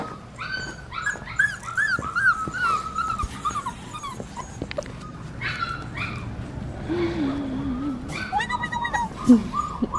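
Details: Australian Shepherd puppy, a black tri female, whining in a run of high, wavering whimpers that rise and fall, with brief yips and scattered clatter.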